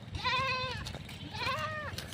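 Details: Pet goat being fetched by its owners, giving two drawn-out, wavering harmonic bleats about half a second each, separated by a short pause, with low rural background rumble.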